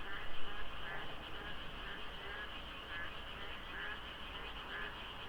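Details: Frog chorus in the dark at Deokso IC during the rainy season, with mist over a quiet highway. Quick, uneven croaks repeat about three times a second, overlapping into a continuous rattle above a low background hum.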